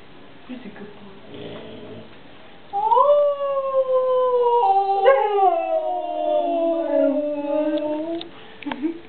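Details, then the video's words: A Siberian husky, provoked by a child winding it up, gives a long, drawn-out howl that rises, holds steady, then slides gradually downward. "Husky Howling - provoked by our daughter Jenna!"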